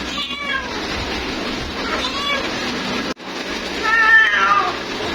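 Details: Female cat calling her mate: three drawn-out, wavering meows with rising then falling pitch, spaced about two seconds apart, over a steady broadband hiss with a brief dropout near the middle.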